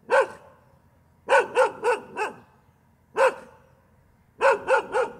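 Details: Continuous dog barking, sharp clipped barks delivered in groups of one to four with brief pauses between, each bark punchy and harmonic-rich, the bursts following one another steadily over five seconds.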